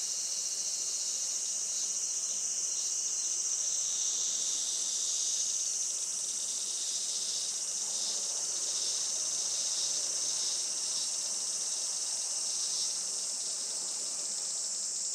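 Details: Midsummer cicada chorus on a sunny July late morning at a traditional farm in Saitama, Japan: a loud, continuous, high whirring buzz with overlapping layers and rhythmic pulsing swells in the middle.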